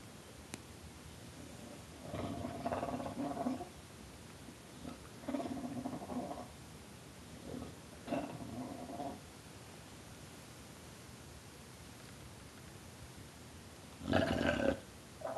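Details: Bulldog named Tulip giving gobbling growls and snarls, several warbling, throaty bursts of one to two seconds spaced apart, ending in a louder burst; quiet room otherwise.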